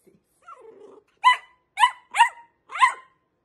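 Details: Dachshund, a wiener dog, indoors: a soft whine, then four sharp, loud barks in quick succession about half a second apart, with bright harmonics.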